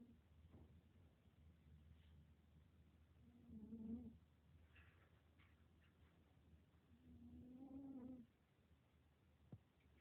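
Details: A cat snores while sleeping curled up in her box indoors. Two soft, drawn-out nasal breaths about four seconds apart, each lasting around a second, are heard over faint room noise.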